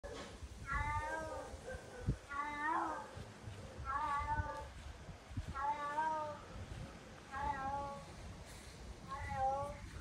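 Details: Domestic cat meowing repeatedly, six short, nasal, wavering meows in ten seconds, each slightly rising then falling, spaced about every one and a half to two seconds, with faint room background.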